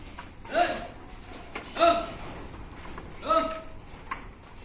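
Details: Black Bengal goats at a goat farm in Odisha, where males, females, kids and castrated Khasi goats are kept: three short, evenly pitched harmonic bleats about 1.3 seconds apart, over a low background hum.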